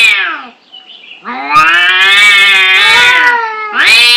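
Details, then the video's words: Angry domestic cats fighting: long, harmonic-rich yowls held steady with slight wavering, a short falling wail at the start, then a sustained caterwaul of about two seconds and a rising cry at the end. "Suara kucing berantem"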